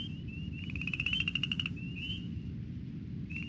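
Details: A chorus frog at seasonal vernal-pool wetlands on Maryland's Eastern Shore, an amphibian breeding spot in spring, gives a quick rising train of raspy pulses like a finger run along a comb, with spring peepers and a low hum behind.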